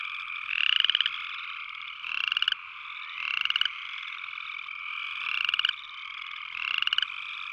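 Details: Upland chorus frog repeating brief upward-sweeping pulsed trills, five calls at uneven intervals of about one to one and a half seconds, set against a steady background chorus of other frogs.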